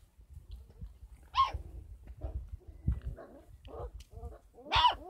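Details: 33-day-old Kangal puppies on a dog farm yelp loudly: a strong high squeal opens, softer whimpers and grunts follow, and a second piercing yelp closes the sequence.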